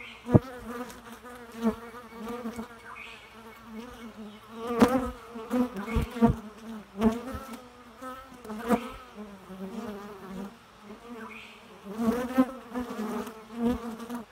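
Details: Buzzing bee with a wavering droning hum, louder passes alternating with softer moments, punctuated by frequent sharp clicks and knocks.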